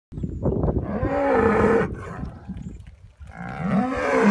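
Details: Holstein Friesian cattle from a grazing, spring-calving dairy herd: a loud, deep, drawn-out moo lasting almost a second, then a second rising moo starting near the end.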